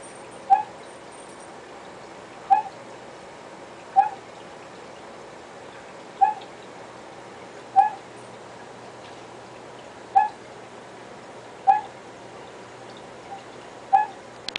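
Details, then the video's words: Male Vietnamese Mossy Frog kept as a pet, calling in darkness at night: crisp single clicks spaced roughly one and a half to two seconds apart, about eight in the stretch, against steady background hiss. "Mossy Calls"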